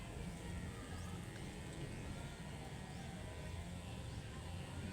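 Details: Low steady rumble with faint music and traffic-like hum, and no animal sounds.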